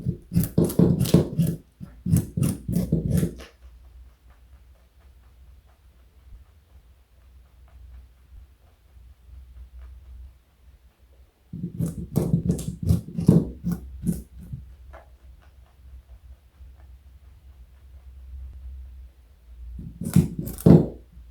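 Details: Pet rabbit Joey, 4.6 kg and over 60 cm long, munching carrot in a small room: three separate bouts of rapid, crackly crunching, each lasting a few seconds, divided by long quiet gaps with low hum.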